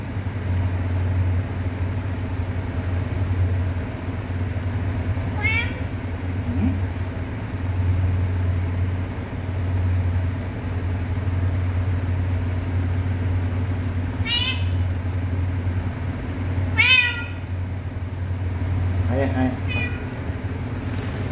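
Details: Kitten mewing repeatedly, four or five short bright meows spread through the recording, the last ones closer together, over a loud steady rumble of engine and traffic noise.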